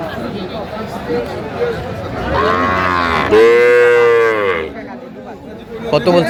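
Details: A single loud, sustained moo, rising then holding steady for about two seconds before fading, rings out at a Comilla cattle market in Bangladesh offering Sahiwal bull calves, 15 January 2025, with faint voices behind it.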